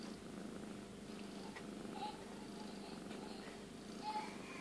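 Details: A female tabby cat purrs steadily in a low, rumbling drone while giving birth to her second kitten, with faint squeaky chirps now and then.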